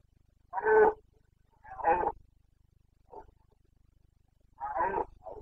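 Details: Carpathian red deer stag roaring during the breeding-season rut in Bucovina's mountains, 29 September 2022: four gruff, harmonic bursts of about half a second each, irregularly spaced, with a quieter short grunt between, over a faint low hum.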